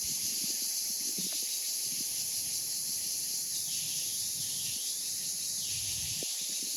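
A cicada sings a steady, high-pitched electric buzz that holds without a break.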